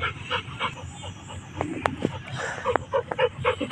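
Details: Peter, a Labrador Retriever, on an ordinary day out in the field, breathing in quick rhythmic bursts about three to four times a second, with a few sharp clicks mixed in.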